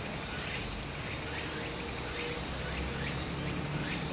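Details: Japanese summer scene at a brook: cicadas keep up a continuous high, hissing buzz, overlaid by faint rising chirps and the soft rush of running water.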